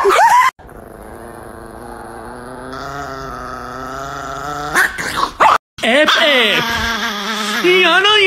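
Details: Angry Chihuahua, a pet dog, gives a long, steady, droning growl held for about four seconds, with a short sharp yelp near the start. A person talks loudly and excitedly over the growl near the end.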